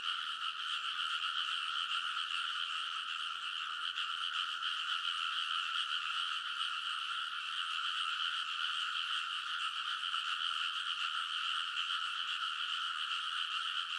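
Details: Rice paddy frogs chorusing at midnight in early summer in Kōnosu, Saitama, Japan, recorded with a TASCAM Portacapture X8; a thick, steady mass of fast croaking pulses, roughly two or three per second, runs uninterrupted for the whole stretch.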